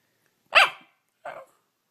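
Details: Two short, sharp dog barks, the first louder and the second softer, separated by about half a second of silence. The dog is presented as talking.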